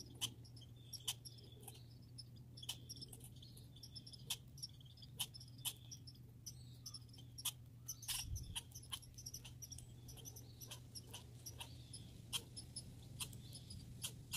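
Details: Squirrels, grey and red, in a backyard setting giving short, sharp high-pitched chips and squeaks scattered irregularly, with a constant low electrical-sounding hum underneath.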